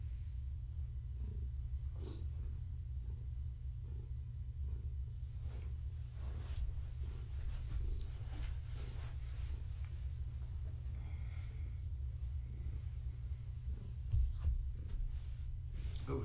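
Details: Gaia, a pregnant long-haired tabby domestic cat, purrs indoors in the critter room while being petted and scratched: a deep continuous rumbling purr, with handling rustles and a brief louder bump near the end.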